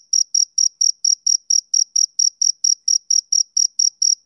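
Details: Steady high chirps of a male cricket on a summer evening, sharp pulses spaced evenly at nearly four per second, a clean recording with no competing noise.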